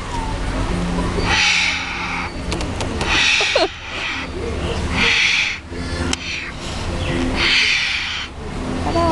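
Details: Captive wombat at Featherdale Wildlife Park, angry at another wombat in its enclosure just before feeding: harsh, breathy hissing bursts, each about a second long, repeating every couple of seconds over loud, steady crowd and background noise.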